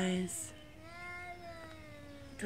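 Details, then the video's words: Morning territorial standoff between street cats in Beaver Falls when two arrive to eat together: a low, sustained, moaning yowl, slightly rising and falling, with a man's voice calling briefly at the start and end. "Yowling street cats of Beaver Falls having a territory convo.."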